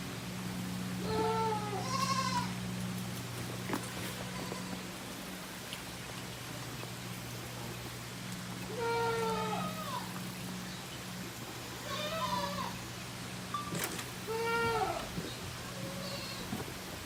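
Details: Tokara goat kid, six days old, at a goat farm in Himi, Japan, on July 12, 2018, meeting its mother's sister for the first time; several quavering, harmonic bleats spaced a few seconds apart over a constant low hum.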